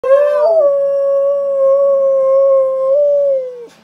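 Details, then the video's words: Siberian Husky giving one long, steady howl lasting nearly four seconds, opening with a short wavering rise, then holding a smooth, even tone before dropping off at the end; no other sounds. "Husky howling"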